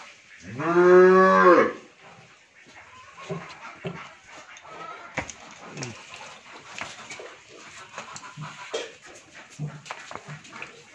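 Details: Pregnant Friesian dairy cow, nine months in calf and due with her third calf, on a farm in Bhangura, Pabna, Bangladesh; one loud, harmonic moo of about a second rising then falling, followed by quiet clatter and faint indoor noises.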